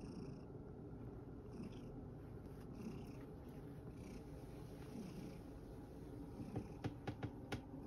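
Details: A rescued male cat named Sacchan at Kazano Kobo purrs after playing hard in a field. The low, even rumble runs throughout, with a few sharp clicks near the end.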